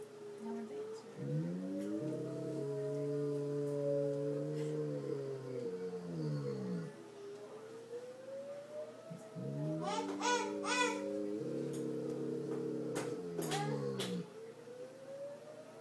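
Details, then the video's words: Bouvier des Flandres named Zeb howls through a tornado siren, giving two long sustained howls that rise at the start, hold steady and slide down, separated by a pause. Sharp clicks and knocks sound during the second howl. "Zeb the Howling Bouvier"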